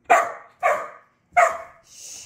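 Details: Border Collie on its first day of button training, barking indoors; three sharp barks about half a second apart, then a soft hissing noise, with a person urging the dog to hit the button.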